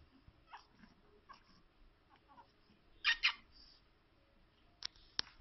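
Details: Fifteen-day-old pug puppy crying as it tries to escape: two short, loud, squeaky cries close together midway, with faint whimpers before them and a few sharp clicks near the end.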